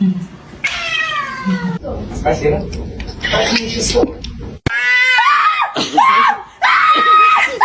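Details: Domestic cat meowing: one drawn-out, falling harmonic meow, then a stretch of human talking, followed by several shorter rising and wavering meows over background chatter.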